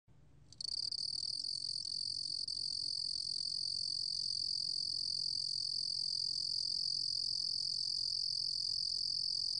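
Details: A cricket (Korean 루루곰귀뚜라미) recorded in 2020 for Korea's National Institute of Biological Resources: after a quiet half-second start, a continuous high, shrill trill holds steady and loud to the end over faint low background hum.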